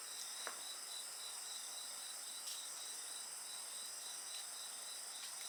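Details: Insects singing beside a crackling bonfire in a 55-minute night ambience: a steady high, layered insect chorus with a pulsing band, and occasional sharp pops from the fire.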